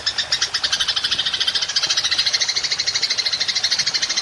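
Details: Golden grasshopper in a long 'nembak' (shooting) call, recorded as training material for songbirds: a rapid, steady, buzzy rattle of about ten pulses a second, unbroken throughout, with no other clear sounds.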